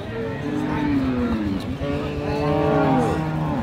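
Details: Friesian cow at Ambari cattle market in Dinajpur, sold with her calf, on 7 November: drawn-out lowing moos, one falling then another rising and wavering, over a dense background of market crowd noise and chatter.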